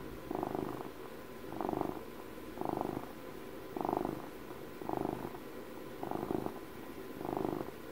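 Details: House cat purring, a deep pulsing rumble in regular breath cycles, seven louder swells roughly one second apart with quieter purring in between, recorded close in a quiet indoor space.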